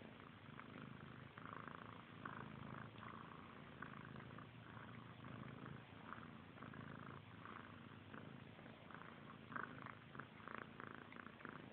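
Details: Two kittens, brother and sister Frank and Callie, grooming each other indoors; steady low rumbling purr runs throughout, overlaid with soft wet licking and rustling noises that come and go in short bursts.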